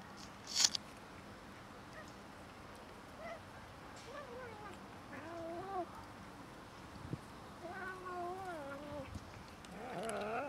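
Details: During a little fight between cats and a kitten over food, quiet wavering yowls come in two bursts, each bending up and down, with a sharp knock near the start and faint rustling.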